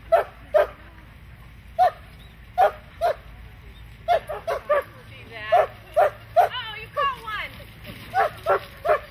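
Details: Standard Poodle barking while herding sheep: short, sharp, mid-pitched barks in uneven bursts with gaps of about a second, plus a few wavering whine-like sounds toward the end.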